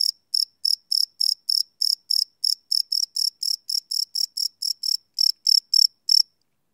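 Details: Night chorus of crickets captured live with a Sony PCM D100 recorder, sharp high-pitched chirps pulsing roughly three per second, slightly uneven in spacing, clean background.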